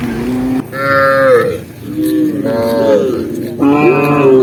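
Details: Tame cows running down a green hill while being herded, lowing in three long harmonic moos, each about a second long with rising and falling pitch, separated by short pauses.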